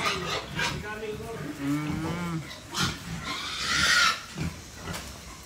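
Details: Young female Berkshire x Pietrain crossbred pig on a hog farm, short low grunts and a drawn-out tonal squeal early on, then breathy snorts, mixed with people talking nearby.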